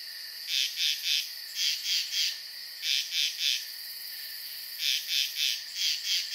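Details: Nocturnal pond frogs calling: bright, sharp chirps in tight bursts of three or four, with short pauses between bursts, layered over a steady shrill background hum.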